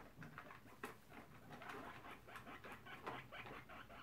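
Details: Two guinea pig boars, one tri-coloured and one black and brown, checking out the sows' cage and disagreeing: quiet, sharp clicking chatter in short bursts several times a second, indoors.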